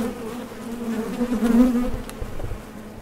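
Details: Honey bees buzzing at a Top Bar Hive entrance as they head out for nectar or return; a close bee passes loudly in a rising, swelling hum over the steady colony drone, then a few soft low thumps.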